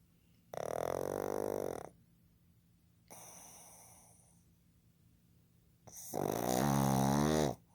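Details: Fukuzo, a male pug born 15 July 2020, asleep indoors and snoring heavily: three long, loud, throaty rasping snores with rich buzzy harmonics, each lasting over a second, separated by quieter breathing pauses.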